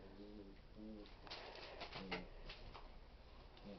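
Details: From Mindy's 2011 litter, young puppies indoors near a bone make short, low, tonal whines in three separate bursts, each under half a second, with faint handling noise and rustling between them.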